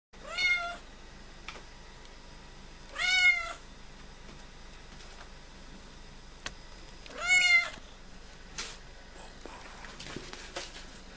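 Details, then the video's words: Female cat visiting a house, meowing three times: clear, loud, slightly wavering meows with rich overtones, each under a second long, spaced about three to four seconds apart, in a quiet indoor room. "Funny cat visits my house!"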